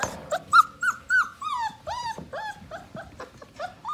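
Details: Portuguese Water Dog puppies from one litter, just over five weeks old, playing in the morning: a steady run of high, arched whining yelps, each bending up then down, with several squeaky cries in quick succession and short gaps between.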